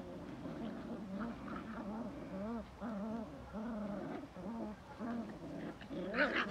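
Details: Belgian Malinois producing arched, bending whine notes, each rising then falling, in a run of moaning vocal sounds, with a sharper higher burst at the end.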